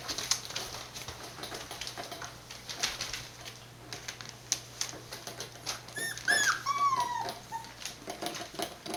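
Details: Border Collie puppies, born 19 September 2020 and filmed 1 November at a breeder in Fukiage, Hioki, Kagoshima, Japan; scratchy pattering of paws indoors, then one short whining whimper sliding downward, followed by a softer trailing whine.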